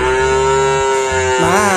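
A young calf gives a steady, nasal moo that wavers upward at the end, calling to a companion.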